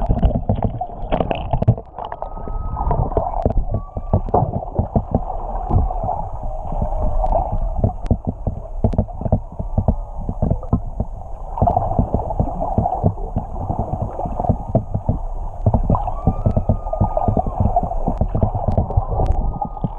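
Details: Whales singing underwater off Tonga, recorded while swimming with them, audio unaltered: faint, drawn-out whistled tones rise and hold at a steady pitch several times. They sit beneath constant gurgling, bubbling water noise and clicks.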